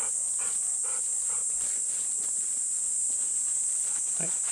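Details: Golden Retrievers Bisu and Kohaku on a humid summer morning walk from a farm field, panting in quick rhythmic breathy bursts, over a constant shrill cicada drone.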